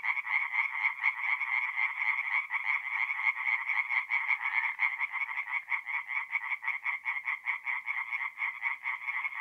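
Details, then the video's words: Many tree frogs calling together at night by a forest pond in north-east Italy in mid-April. Quick croaking pulses repeat in a continuous, throbbing chorus; nothing else can be heard. "relaxing forest pond by night with singing tree frogs"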